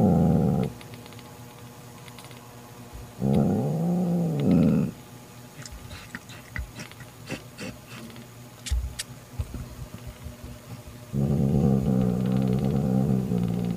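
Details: Mother cat Mocha growling to banish her sister Kofi, who wanted to kidnap Mocha's newborn kitten: three bursts of low growling, the middle one arching into a short moan, with quiet rustling and clicks between.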